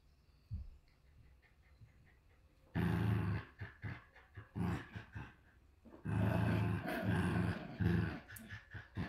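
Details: Shiba Inu puppies at a Shiba Inu and Samoyed breeder in the Netherlands, two little ones growling like running motors; low rumbling growls in bursts after a quiet start, with laughter nearby.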